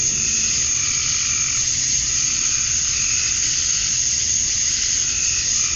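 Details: Male cicadas chirping to attract females at dusk on a summer night in Georgia, USA, outdoors: a steady, dense, hissing high-pitched drone that never pauses, with faint lower murmurs beneath.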